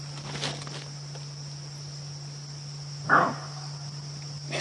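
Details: A greater kudu gives one short, gruff alarm bark on a sunset safari drive on September 30, 2016, as a lion pride stalks the fleeing kudu nearby.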